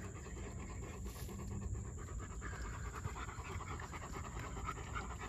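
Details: Steady rapid panting from a German Shepherd, airy puffs pulsing at a regular fast rhythm throughout, set against low background rumble and a thin continuous high tone.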